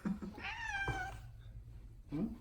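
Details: A single long, clear meow from pet cat Odeko, wanting to say something, bracketed by a person's brief murmured words in a quiet room.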